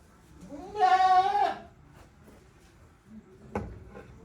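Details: A goat in a farm shed on 5 December 2023 gives one strong, steady, buzzy bleat lasting under a second, followed by quiet shuffling and a single sharp knock.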